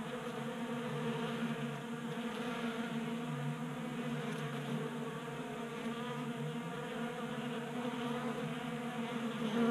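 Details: Swarm of honey bees at a homemade table-top feeder in a Colorado garage, winter warm spell; thick steady buzzing with low droning undertone, a louder buzz close by near the end.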